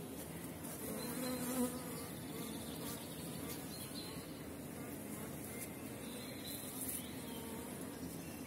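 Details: Honey bees of small-cell 4.9 stock at a busy apiary in April, when dandelions bloom and supers are added; a dense, steady low hum runs throughout, with slight swells and faint high chirps in the background.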